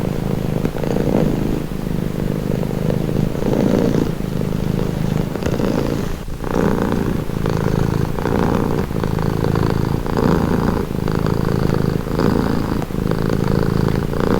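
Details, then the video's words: Domestic cat purring steadily and close, described as calming; a continuous low rumble pulsing in breaths about every one to one and a half seconds, with a brief dip near six seconds. "Purring cat | Calming Relaxing Nature Sound"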